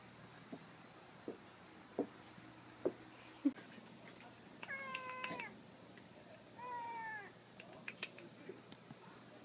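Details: Office cat climbing onto a table, with baby-like cries: after a run of sharp taps and knocks come two short harmonic meows, the first steady and falling, the second quieter and higher, amid rustling and clicks.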